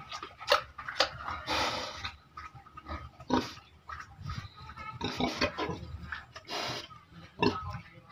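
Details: Pigs kept in a cage and raised to earn money for a family: short rough grunts and a few sharper squeals come in bursts, with clattering and some background noise in a small enclosed space.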